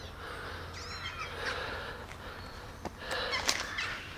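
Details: Abandoned baby kittens, rescued from the street eight days earlier and now kept in a warm basement, mew with thin, high, rising-and-falling cries while walking and being fed milk from a syringe. Rustling and background noise throughout.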